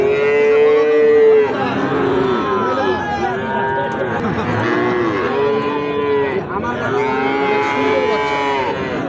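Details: Sahiwal bull calves at Ambari haat, a cattle market held on Fridays and Mondays. Several overlapping drawn-out, harmonic-rich moos rise and fall in steady succession, with crowd chatter and bargaining voices throughout.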